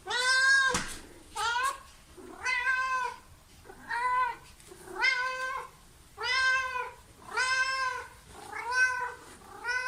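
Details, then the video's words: Cat meowing repeatedly in a small room, about eight rising-then-falling harmonic meows, each under a second, coming every second or so over a faint background hiss. "Cats Meow 10 Minutes of Cats Making Meow Sounds"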